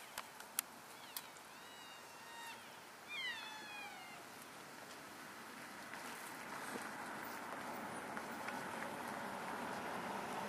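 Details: Elk in a herd moving from one grazing area to another, keeping in touch with each other, recorded February 3, 2012; a few faint, high, mewing calls with falling pitch come early on, then only a steady background hiss.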